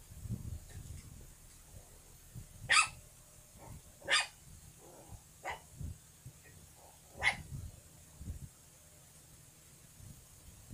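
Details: Puppy barking in short, sharp yelps, about six spread across ten seconds at uneven gaps, the loudest ones bright and high-pitched, with low rumbling background noise between them.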